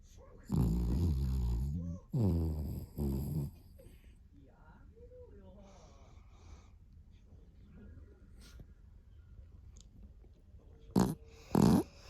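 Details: Sleeping Pomeranian-Chihuahua mix Vanilla gives three low, buzzy snores in the first few seconds, then a long near-silent stretch, with two short sharp sounds near the end.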